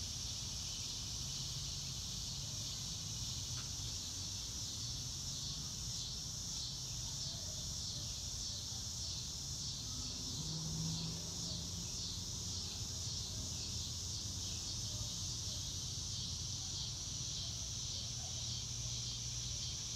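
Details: Crickets outdoors under a blue sky, recorded in real time with no music: high pulsing chirps dominate the first half, then settle into a smooth continuous trill, with low hum and faint distant sounds beneath.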